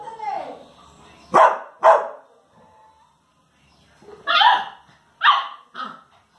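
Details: Labrador Retriever mother and son at play, giving a pair of sharp barks, a pause with a soft whine, then three more barks, the last shorter and quieter.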